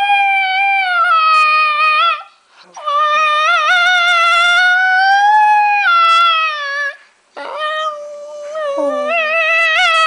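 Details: Long, steady, harmonic howls from Paco the dog, his singing held for several seconds at a time with slight wobbles and falling tails, broken by two brief pauses; a faint lower voice joins near the end.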